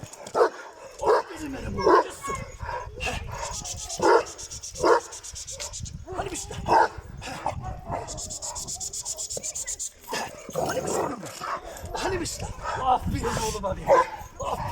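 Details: Kangal dog Cesur at his first meeting with another Kangal, giving loud harmonic barks in short bursts about every second or two, while a man repeatedly praises him in Turkish over steady background hiss.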